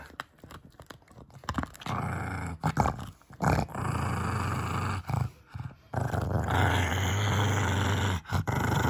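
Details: Kongzi, a six-year-old female pug, guarding a bone treat indoors: low rumbling growls in long sustained bursts from about two seconds on, broken by short pauses and clicks, the longest stretch running steadily through the final three seconds.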